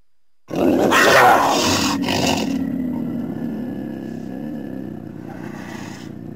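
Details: Cougar, or mountain lion, bursting into a harsh, breathy hiss-snarl that settles into a long, low, rasping growl and fades slowly over several seconds.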